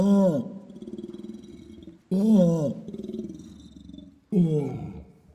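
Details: Orangutan long call carrying across the dense jungle: loud falling harmonic roars about every two seconds, each trailing into a rapid pulsed, bubbling rumble that fades before the next begins.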